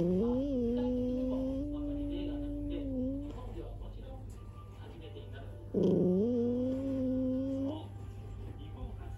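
A drowsy Toy Poodle gives a thin, drawn-out growl, high and tiny, in two long rising strokes.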